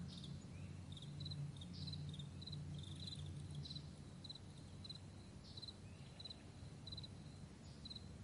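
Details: Morning chorus of crickets across a wide meadow, May 9, 2020: bright, thin double chirps come roughly three times a second, a little unevenly, above a deep aircraft drone.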